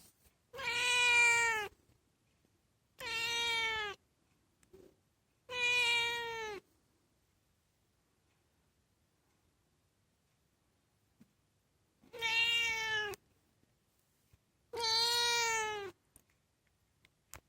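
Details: Domestic cat talking for fun with lovely meows: five clear, rich, harmonic meows of about one second each, slightly arching in pitch, in two bursts separated by a long silent pause.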